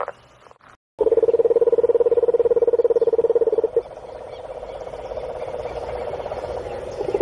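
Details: Frog mating call: a low, rapid, evenly pulsed trill held for nearly three seconds. It breaks off and gives way to a quieter, continuing trill, with a brief louder note at the end.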